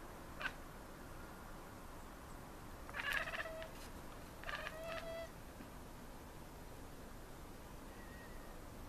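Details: Maine Coon cats chattering at city birds: short bursts of harmonic, stuttering cat sounds around three and five seconds, with a faint earlier note and steady background hum between.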